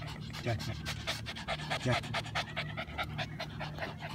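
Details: Jack and Jill, a pair of Shih Tzus out walking on a hot summer day, breathing in quick rhythmic pants while a person's voice talks over them; a steady low hum sits underneath.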